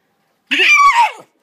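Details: Indoors, Bruce the Boston Terrier demands his ball with a loud, strained, scream-like vocalization lasting under a second. It is harmonically rich, holds steady, then slides downward and fades.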